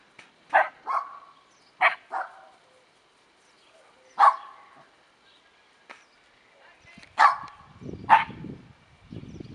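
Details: Dora, a nine-month-old Shetland Sheepdog, at playtime in a kennel with eight-week-old Rough Collie puppies: sharp, mid-pitched barks at uneven gaps, some in quick pairs, with soft low rumbling and shuffling noise near the end.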